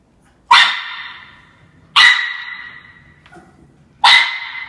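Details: Young Norfolk Terrier named Ernie, less than a year old, taking on Shania the cat with three loud, sharp barks spaced about one and a half to two seconds apart, each trailing off quickly.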